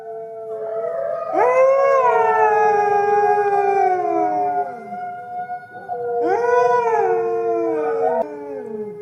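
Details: Red wolves of the southeastern United States howling in chorus: several long, smooth, overlapping howls that slide gently downward, with a second burst of rising and falling howls after a brief pause.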